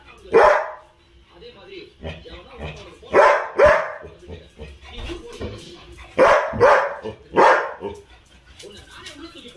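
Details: Labrador Retrievers Tom, Mona, Ruby and Sona in the evening; loud, harsh barks come in short clusters of one or two, roughly six in all across ten seconds, with quieter murmuring and human voices between them.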